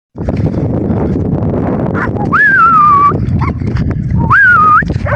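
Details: Kangal dog in its village home area, giving two drawn-out whining whistles that jump up and then slide gently downward, over a steady low rumble of outdoor background noise.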